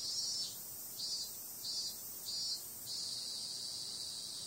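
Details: Cicadas at night, a high dense buzz broken into pulses roughly every half second, then settling into a steadier drone with no other clear sounds.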